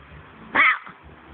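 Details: Domestic cat named Archie indoors giving one loud, short, strained meow lasting about a quarter second, bright and slightly falling, set against quiet room hum with a faint human voice at the very end.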